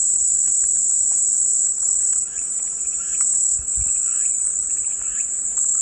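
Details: Unbroken high, hissing cicada buzz, with slight swells in loudness and a few faint warbling chirps of other animals far behind.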